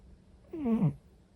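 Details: Sleeping orange-and-white domestic cat snoring indoors, a single short, nasal, harmonic breath sound that sweeps down and then back up in pitch over about half a second.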